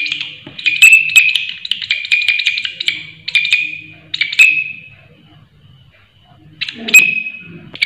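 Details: A loud-voiced grasshopper gives a sustained, shrill buzzing trill for about three seconds. A shorter ringing burst follows, then quiet, then one more strident burst near the end, with soft low background noise throughout.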